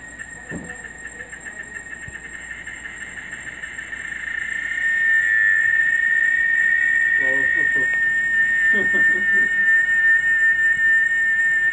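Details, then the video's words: Cicadas in a Brazilian forest at dawn or dusk, their ear-piercing call said to last 30 minutes to an hour; a steady high whine builds in loudness and then holds as a piercing tone, with a few faint pulsed sounds. "Haunting cicada sound in Brazilian forest"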